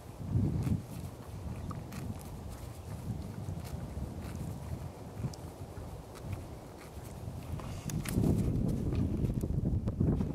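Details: Working hard at small shoots of grass among pine needles in February, Quarter Horse gelding Zann, aged six, makes weird noises. Low rustling and soft crunching run throughout, with louder breathy, blowing bursts near the start and again toward the end.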